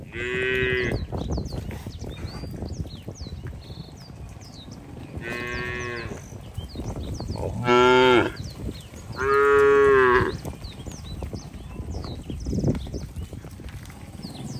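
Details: Cattle herded along a wet road toward the farm barn during the rainy season, moving slowly. Four drawn-out, harmonic moos, the last two louder and longer, while small birds chirp high in the background.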